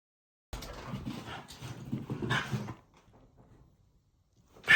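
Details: Haru, a female Shiba Inu born in 2019 and living in the countryside, whimpers happily on learning her brother is staying over: soft, breathy whines and low yips for about two seconds, then quiet, ending in a sharp louder burst.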